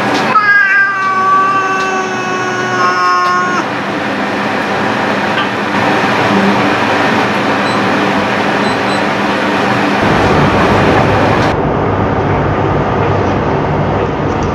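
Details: Domestic cat giving a few drawn-out, wavering meows with a rich harmonic tone over the first few seconds, then a long stretch of steady, rumbling mechanical noise.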